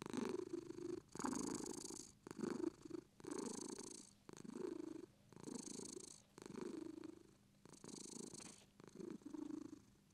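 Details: British Shorthair cat purring indoors, a steady rumbling purr that swells and fades with each breath, about one cycle per second, with soft breathy hiss on the inhale and no other sounds.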